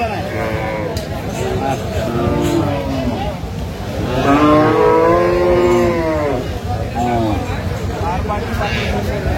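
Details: Dairy cow at Aftabganj haat in Dinajpur, 17 June 2025; a loud sustained moo lasting about two seconds stands out midway, with shorter lows, men talking and passing vehicle noise around it.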